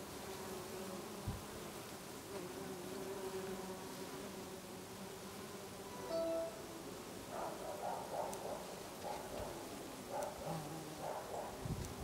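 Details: Many bees give a low, steady droning hum that wavers slightly in pitch while foraging in garden lavender in August in Brittany.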